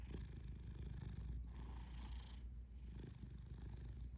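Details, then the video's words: Close, deep purr of a house cat, a constant low vibrating rumble that rises and eases slightly with each breath cycle over a few seconds. "Purry Kisses"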